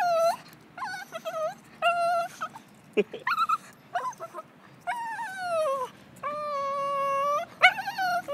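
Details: Female Lhasa Apso being walked, excited after seeing a squirrel, gives a string of shrill, quavering whimpers and yips, some drawn out and sagging in pitch, others short and broken, with brief pauses between.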